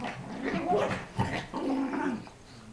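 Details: A 5 lb Chihuahua play fighting with a 25 lb Pitbull puppy. Rough, rising and falling growly whines come in three bursts, with a person's voice close by.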